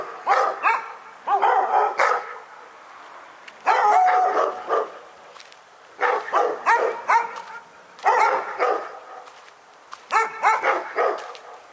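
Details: Barking dog at Pyrga, a nuisance nightmare: short volleys of three to five yapping barks, each burst separated by about a second of quiet, repeated steadily throughout.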